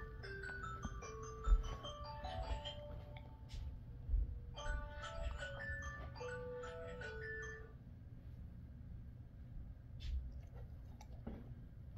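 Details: A chiming, music-box-like melody steps downward over a low room hum, with scattered thumps and a soft knock near the end, and no barking or whining.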